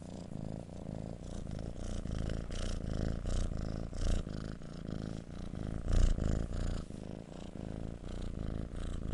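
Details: Domestic cat purring, a steady low rumbling throb that swells and fades with each breath, pulses rapid and even, heard close up indoors with no other clear sounds.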